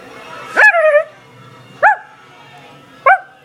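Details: Daisy, a talkative pet dog, lets out one drawn-out wavering yelp-howl followed by two short sharp barks spaced about a second apart in a quiet room.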